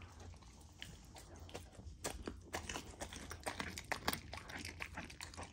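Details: Golden Retriever puppy crunching and chewing raw frozen food indoors; sharp crisp bites come about twice per second, growing louder and busier toward the end, with wet smacking between them.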